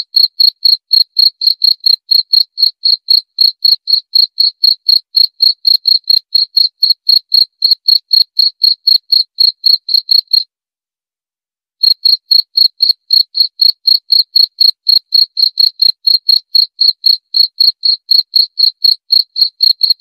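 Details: Cricket chirping, offered for repelling rats and easing insomnia: clean, high chirps repeated about four times a second, with a roughly one-second pause near the middle, otherwise steady and free of other sounds.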